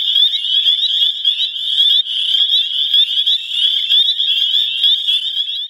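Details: Dozens of spring peepers, thumb-tip sized frogs, calling in spring at Crex at the end of winter; a dense, continuous high-pitched chorus of overlapping peeps holds one steady pitch, with individual peeps pulsing rapidly throughout.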